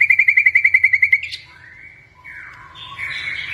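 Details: Caged white-rumped shama of the blorok type from Indonesia, singing actively: a quick string of about a dozen clipped notes, followed by soft, slurred, wavering warbles.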